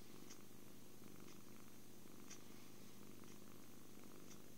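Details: Happy kitten purring while cuddled, fed and sleeping, captured on an Android phone; a thick low rumble swells with each breath, pulsing about once a second.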